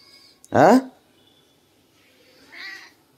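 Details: Pet cat meowing in the morning, wanting a massage: one loud, short harmonic meow with a falling tail, followed a couple of seconds later by a fainter second meow, in a quiet small room.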